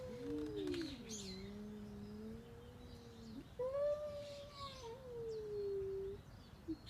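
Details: Cat uttering two drawn-out, wavering meows of about three seconds each, the second pitched higher, over a steady background hiss.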